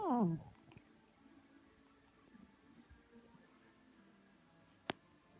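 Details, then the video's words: Black cat meowing on stairs indoors, filmed in 2016, with a habit of yawning mid-meow; one short loud meow falling steeply in pitch opens the recording, then a quiet room with faint low murmurs and a single sharp click near the end. "Black Cat Meowing and Yawning on Stairs"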